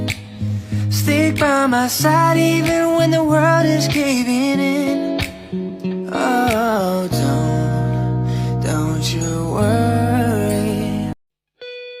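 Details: Music with a soft singing voice over plucked guitar and steady bass notes, continuous for about eleven seconds before a brief pause and a final short tone; no animal sounds are heard.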